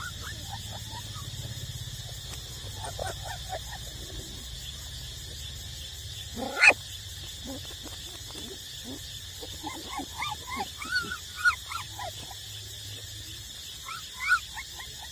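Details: Eight-week-old puppies still nursing from their mother: scattered thin squeaks and short whimpers, clustering in quick bursts toward the end, with one sharp louder squeal midway, over a steady high hiss.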